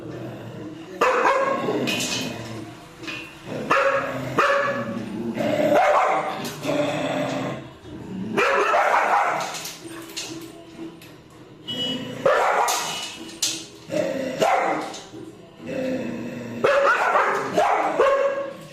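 Dogs give loud, rough barks and drawn-out yelping cries in repeated bursts.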